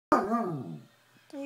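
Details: A Basset Hound, upset at being left behind when others went on a trip, gives a short howling moan that rises then slowly falls over under a second, harmonics sliding down; a woman's voice begins speaking afterward.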